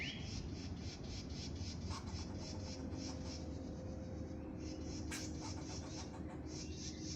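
A squirrel calls with quick, clicking chips repeated several times a second, forming a scratchy chatter. A constant low rumble, like distant traffic or wind, runs underneath throughout.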